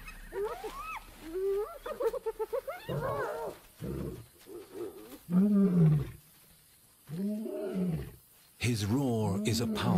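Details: A lion in Timbavati, Africa, defending his territory, gives deep, moaning roars, each a drawn-out swelling grunt of a second or so, heard under a man's narration.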